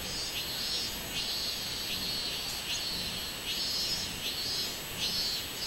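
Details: Robust cicada (minminzemi) singing on 24 July 2016: a steady shrill, high-pitched buzz pulsing in rhythmic bursts about every two-thirds of a second, with a faint constant hiss underneath.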